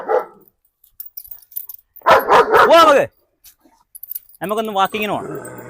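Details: German Shepherd freed from its leash inside a Perumbavoor house for a dog challenge lets out one short volley of deep barks, framed by talking voices.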